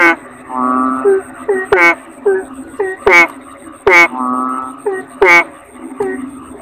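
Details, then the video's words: Toad known as kodok bangkong gives loud harmonic croaks about once a second, separated by softer nasal notes and two sustained flat tones, with a persistent high-pitched hum in the background. "Suara Kodok Bangkong"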